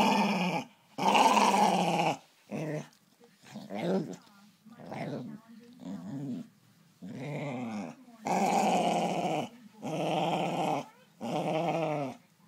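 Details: Jess, a female Staffordshire Bull Terrier, angry and easily annoyed in the morning, indoors; bursts of grumbling, moaning growls with rising and falling tones, about ten separate outbursts separated by short silences.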